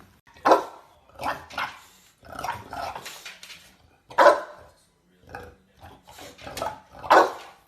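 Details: English Bulldog puppies in a compilation of pet moments, giving a run of sharp, bursting barks, about seven uneven yaps and grunts spread over eight seconds in a quiet indoor room.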